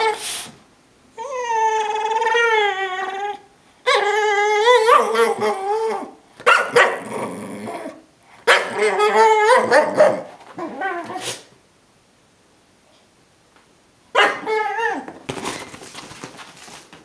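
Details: Brittany Spaniel named Lucy greeting her owner at the door on coming home: long wavering high whines and howl-like yodels, some drawn out over two seconds, broken by short barks and pauses, indoors.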